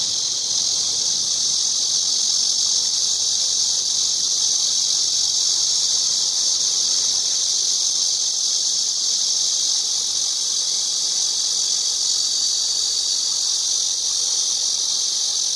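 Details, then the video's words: A cicada drones on in an unbroken, shrill, steady buzz, very high and even in loudness from start to finish, with no other sounds standing out. "매미 소리"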